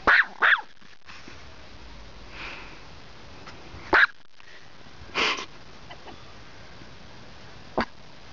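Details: Sora, a pet dog in Poland, reacting to the Polish words "do paki!" (go to prison), which mean she will be shut in a small room: two quick sharp barks, then single barks at about four, five and eight seconds, quiet room between.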